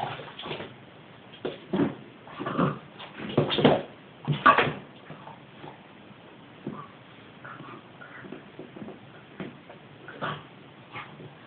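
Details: A 5-month-old male Boston Terrier lets out short, gruff barks and growly grumbles, frustrated at a ball stuck in his basket that scares him, fading into softer whimpers and snuffles indoors.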